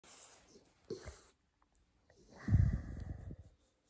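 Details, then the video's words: French bulldog indoors, wanting to get under the blanket: a short low grunt near the first second, then a longer throaty, rumbling grunt-snort lasting about a second, with quiet room tone between. "Cute French bulldog wants under the blanket"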